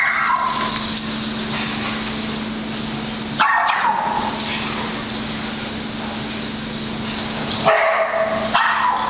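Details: Dogs at play in a daycare club as Penny chases Patrick and the rest try to join; short barks and yelps rise above a steady droning background hum, strongest bursts around three and a half and eight seconds.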